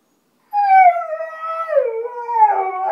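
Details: Siberian Husky, a pet dog asking for supper, gives a loud howl that begins high, slides gradually lower over two seconds, then wavers and roughens at the end.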